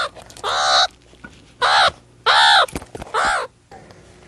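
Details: Meerkat calls: four loud, harsh, arched cries about half a second long, spaced roughly a second apart, with rich overtones and quiet gaps between them.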